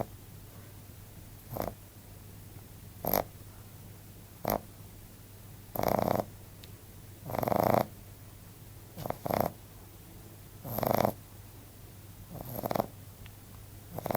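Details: Asleep and snoring, Bon, a 14-week-old male Frenchbo, gives short snorts that build into longer rasping snores, spaced one to two seconds apart and varying in strength.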